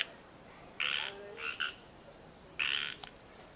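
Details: Natural Bridges State Park frogs, Santa Cruz, California, USA: a harsh grating croak, a pair of shorter clipped croaks, then another long rasping croak followed by a sharp click.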